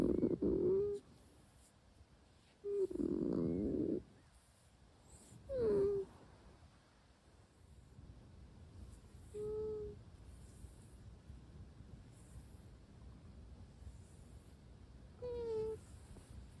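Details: Asleep indoors, Russian Blue kitten Sora lets out five separate sleepy mews and hums, some gently falling in pitch, spaced a few seconds apart, with quiet breathing between them.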